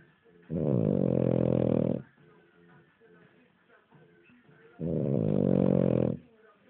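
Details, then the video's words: King Charles Spaniel dog asleep and snoring: two loud, rough, rasping breaths of about one and a half seconds each, separated by a quieter pause of roughly three seconds. "my king charles dog cody snoring lol"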